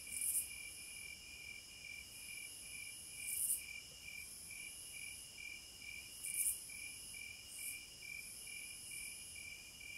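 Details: Cicadas in natural surroundings give short, sharp sizzling bursts about every three seconds, with fainter swells between them, over a continuous high-pitched insect drone.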